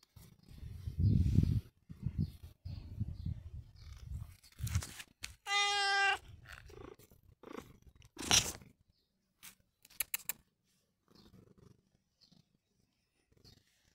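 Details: One short, clear meow from the pet cat Long John Whiskers, surrounded by rumbling, clicks and crunching noises, with sharp taps toward the end.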